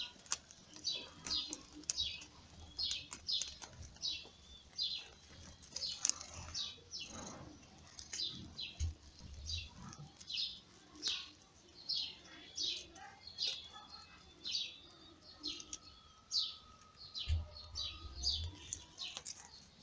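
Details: Lady Ginger's newborn kittens, born in May, cry while being fed by their mother: a long run of high, sharp mewing squeaks at a steady quick pace, with occasional soft bumps and a faint steady tone.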